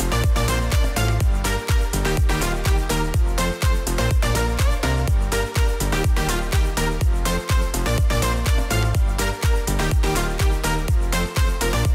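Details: Loud electronic dance music with a steady thumping beat and synth layers plays throughout, with no animal sounds.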